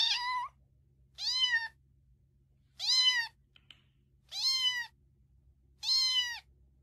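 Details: Domestic cat from a compilation of funny cats and kittens, giving five high, bright meows about every one and a half seconds, each rising slightly and then falling, with a faint low hum underneath.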